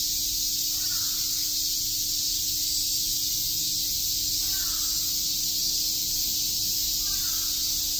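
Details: Steady, piercing drone of many cicadas on a summer day in Tokyo's Shakujii Park, unchanging in loudness, overlaid by three soft caw-like calls from another animal.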